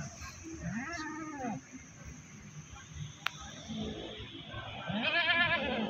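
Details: Goat brought to the Pakis livestock market near Malang, giving two wavering, harmonic bleats about four seconds apart over steady crowd and market background noise.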